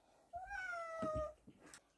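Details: House cat in a room shared with several young cats, at feeding time with ripe papaya; one clear drawn-out meow, slightly rising then falling, lasting about one second, with a soft thump during the call.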